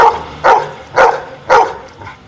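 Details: A dog counting out an arithmetic answer gives a short run of four barks spaced about half a second apart. The first is cut off at the start, and faint background music plays.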